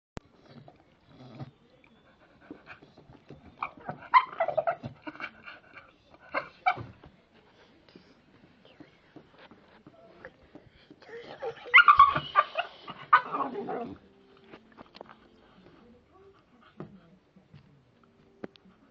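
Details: Staffordshire Bull Terrier making a weird noise: two bursts of grumbling, whiny vocalising, the first fairly brief and the second longer and louder, with near silence and faint shuffling between them.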